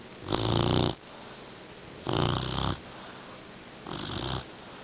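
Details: Exhausted after training, English Mastiff puppy Beauty snores in sleep: three raspy, throaty snores roughly every two seconds, the last one softer, indoors.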